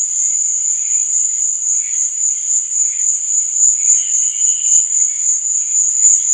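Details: High, continuous cricket chirping in the night, a fast even trill held at one pitch, accompanied by faint drifting lower tones.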